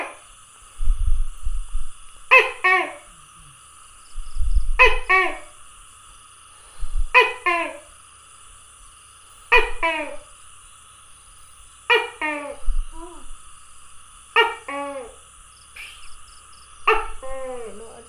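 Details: A tokay gecko, recorded 27 May 2020, calls in a steady series of loud, harsh, double-noted croaks, each pair about two and a half seconds apart, over low thumps and a constant electrical whine.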